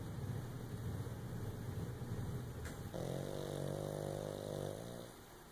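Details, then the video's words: Sleeping, dreaming pug dog snoring: a low rough rumbling breath for over two seconds, then a longer, smoother droning snore with a buzzy, tonal quality lasting about two seconds. "Pug sleeping, dreaming and snoring!"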